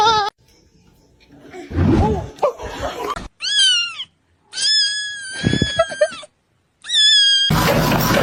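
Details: Domestic cat giving several drawn-out, high, steady meows, each lasting under a second, separated by abrupt cuts, with bursts of human voices and background noise between them.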